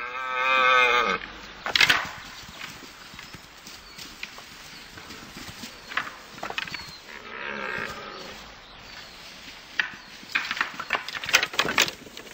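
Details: Male red deer calling during the rut, where winner takes all. A brief, deep, harmonic bellow opens the recording, followed by crashing, clattering noise and a fainter second call partway through.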